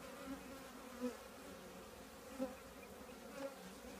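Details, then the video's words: Honey bee colony living in an old trash can, a steady low droning hum with harmonic bands, swelling briefly as individual bees pass close about four times. "10 minutes with the trash can bees"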